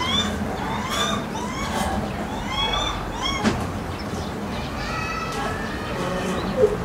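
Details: Calls of captive lar gibbons at Maruyama Zoo in Hokkaido, with 11-year-old male Kotaro calling as he chases 6-year-old female Ai; repeated rising hooting whoops, several per second, amid visitor talk and background noise.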